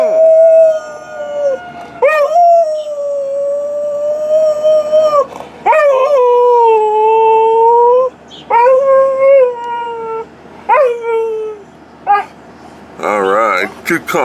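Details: Tarzan, a purebred Alaskan Malamute, howls at home around 2013 in long sustained harmonic notes that sag slightly in pitch, broken by short gaps and yelping onsets, with a person calling encouragement at the end.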